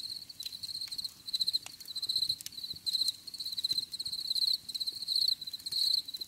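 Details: High, shrill cricket chirping in a calm natural setting, delivered as trilled bursts of several pulses with brief gaps, repeating about once per second over a quiet low background with occasional ticks.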